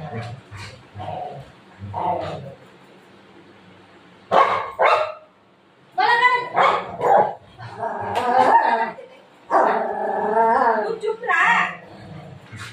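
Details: Golden Retriever playing with its owner in the afternoon, keeping her from sleeping: bursts of harmonic barks and drawn-out whining yips, loud and uneven, interleaved with a woman talking nearby in Marathi.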